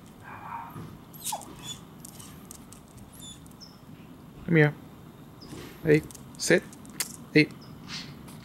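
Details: A 1-year-11-month-old female Cardigan Welsh Corgi gives a few sharp, deep barks, chasing squirrels off her territory.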